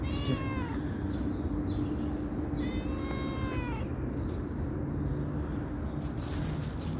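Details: A calico cat answering when called: a short meow at the opening, then a longer falling meow a couple of seconds later, followed by steady low noise with no further calls.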